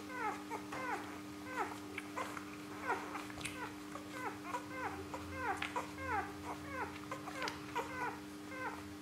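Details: A litter of Rhodesian Ridgeback puppies, three days old, from Perth, Western Australia, born 21 September 2013, squealing while they feed: many short, falling, whiny yelps crowd together in rapid, uneven bursts against a steady electrical hum.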